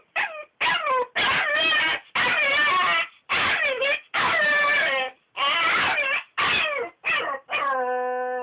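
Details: A Malinois puppy objects loudly to sleeping in its crate, giving sustained, wavering yelping cries in near-continuous bursts of about a second each, ending on a steady, held whine.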